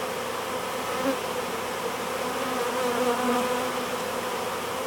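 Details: Some ten to twenty thousand honey bees of a swarm on a board in front of a hive, fanning at the entrance; a dense, even hum with gently wavering tones swelling slightly midway.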